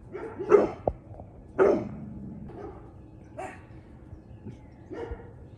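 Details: A 22-week-old Cane Corso puppy with a deep bark, outside with two chihuahuas, barks at a neighbourhood cat. Five separate gruff barks, roughly one per second at first, then spaced more widely.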